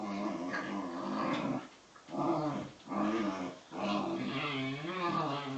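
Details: Two young Bedlington Terriers, Freddie aged 7 months and Lottie aged 10 months, playing together indoors; throaty, wavering growls in long rumbling bursts separated by short pauses, with harmonic, moaning tones rising and falling.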